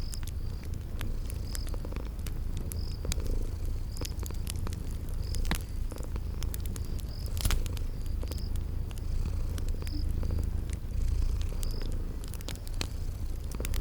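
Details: Sleeping cats purr in a low, unbroken drone by a crackling fire, spring garden ambience around them; scattered sharp fire snaps and brief high chirps repeating about every second or two.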